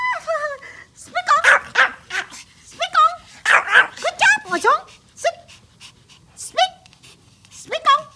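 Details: A happy, tiny male Pomeranian playing with toys gives high, yappy barks and whiny yips on a "sit and speak" command while his owner praises him in Hindi and asks him to fetch a toy.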